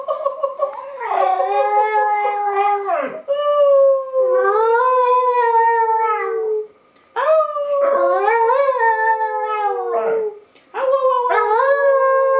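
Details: A West Highland White Terrier tries to sing in a duet, howling in long, wavering, tuneful notes broken by brief pauses.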